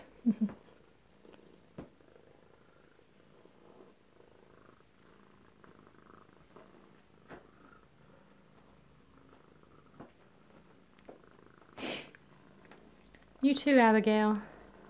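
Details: Alabama kittens at home, close-up, recorded 2/7/18: a soft, low, steady purr runs faintly through most of the clip, with scattered small clicks, a brief noise burst near twelve seconds and a short harmonic meow-like cry near the end.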